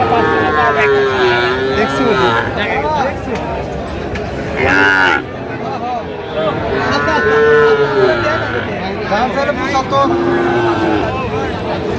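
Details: Sahiwal bull calves being sold at a cattle market, 4 October 2025: several wavering, mid-pitched moos, some sliding downward, come every few seconds amid chatter, bargaining and passing vehicle noise.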